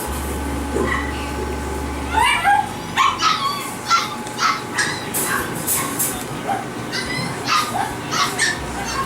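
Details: Toy Poodle puppies giving quick, high, sharp yips and short barks in irregular bursts, several overlapping, over a steady low hum.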